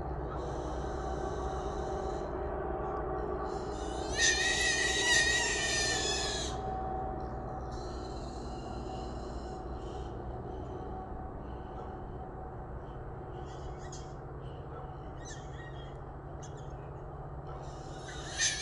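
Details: Three wild hogs confined in a small trap before dawn: scattered short squeals, one loud shrill outburst of about two seconds mid-way, then broken fainter squeaks over a steady low mechanical-sounding drone.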